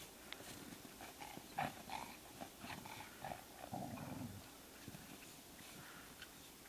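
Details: Two pet dogs, one a black chow-rottweiler mix and one brown, playing in ten inches of record March snow early in the morning. Low rough growling and snorting bursts, with soft crunching between them.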